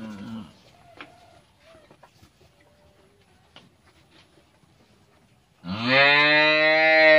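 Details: Faint thumps and scattered low noises give way to a year-old Friesian heifer calf bellowing a loud, deep, sustained moo over the last second and a half.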